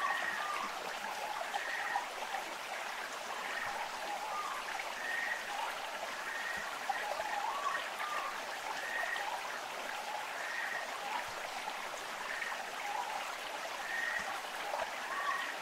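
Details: Amami Ishikawa's frog recorded on Amami Ōshima, giving brief whistled calls with a slight upward slide, spaced about every second or two, set against constant loud stream noise.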